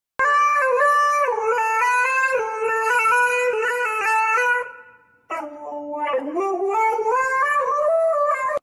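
A Siberian Husky howls in long, wavering, tuneful notes, then pauses and starts again with a rising howl.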